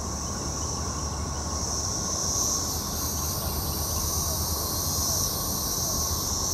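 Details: Brood XXIII periodical cicadas (Magicicada), recorded in Jackson, Mississippi, 2015, form a continuous even drone that never pauses, with a thin high hiss on top and constant low rumble underneath.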